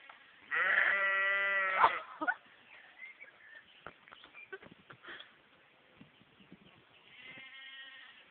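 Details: Confused-sounding domestic sheep whose baa resembles a mix of baa and moo: one loud, strongly harmonic bleat lasting over a second, then soft rustling and clicks, and a fainter second bleat near the end.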